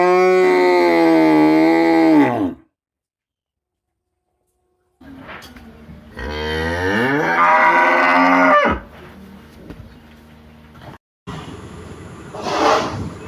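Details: Cattle herded in a meadow, dozens of cows: a long, full moo dropping in pitch at its close, a pause, then a second rougher moo that bends upward, followed by low rumbling noise and a burst of hiss.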